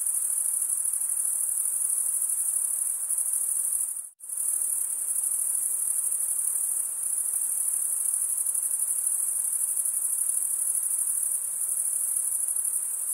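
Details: A steady chorus of chirping crickets: an unbroken shrill trill made by wing stridulation, cut by a brief silent gap near four seconds before it resumes at the same pitch and loudness.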